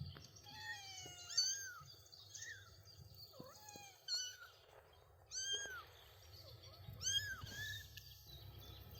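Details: Three-week-old kittens with their mother outdoors on grass with daisies, taking first steps; a series of thin, high, arching mews, some sliding sharply downward, coming in quick bursts every second or two over soft background hiss.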